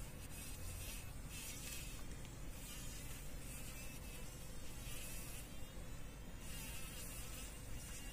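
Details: Fly caught in a spider web in a workshop corner, struggling to escape in the morning; bursts of rough, hissy buzzing come and go every second or so over a steady low rumble.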